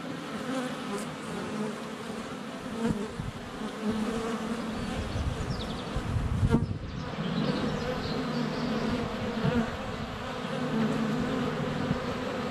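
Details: Sunny February day at a beehive entrance: a swarm of flying honey bees makes a dense, low, rippling hum around a GoPro Hero 7 Black, and a bee bumping against the camera causes a sudden knock midway through.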